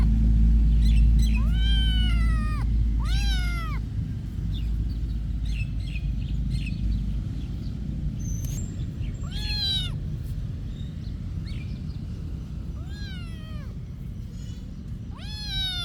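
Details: Cats at a monastery, shown in everyday activity, giving several drawn-out harmonic meows that rise then fall, about five calls spread through the stretch over a steady low background rumble.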